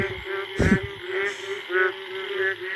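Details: Indian frogs in a forest late at night after the first rain, mating calls: pulsed croaking notes in short bursts over a constant chorus hum, with a brief thump of handling noise.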